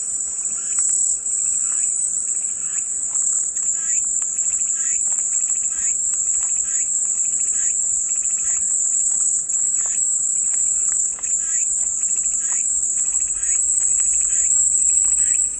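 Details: Cicadas in full chorus, offered as calming white noise: a steady, piercing high-pitched buzz holds without a break for the whole stretch, while softer chirping birds call repeatedly underneath.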